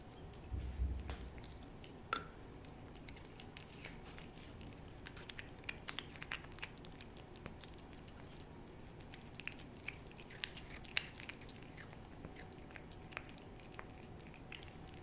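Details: Pet cat indoors licking and chewing a churu treat: quiet, irregular wet clicks and smacks with a few sharper snaps, over a low steady room hum, with no vocal calls.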